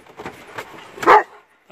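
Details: A Dobermann on an outing to the sea gives one short, sharp bark after a stretch of faint rustling, while a man calls encouragement to it just before and after.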